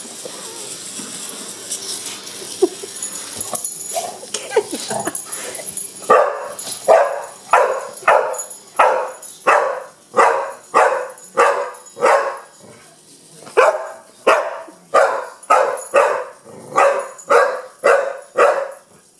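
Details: Young Pit Bull reacting to a wind-up bug, barking in a steady series of short, mid-pitched barks roughly every half second to second, with a pause midway; faint high whirring from the toy early on.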